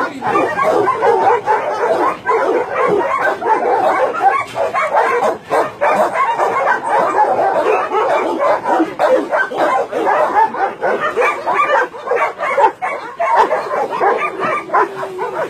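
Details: Continuous chorus of many dogs barking and yelping at a Nonsan, South Korea meat farm cum puppy mill in January 2017, a dense unbroken wall of overlapping barks.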